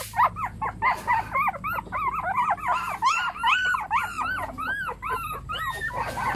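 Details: Several puppies whimpering and yelping together in a dense overlapping chorus of high, arched whines, each rising then falling, repeated rapidly with no pause and a faint low hum beneath.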